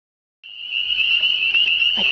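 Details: Countless unseen frogs call together in spring all around the listener, their voices merging into a continuous high-pitched, ringing trill, level and unbroken, with no single caller standing out and no ripple on the water.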